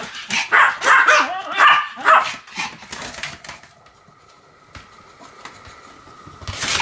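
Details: Pomeranian dog, recorded 1 November 2015 while spinning rapidly about 175 times, gives clear high tonal yaps in quick succession for two seconds, fading to faint noises and a low hum, with a final rustle.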